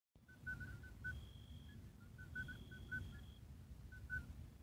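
Midwife toads call in a loose chorus of brief, clear, flute-like 'poo' notes, neighbouring callers pitched a little higher or lower. A thin, steady high whine comes and goes, over a low background rumble.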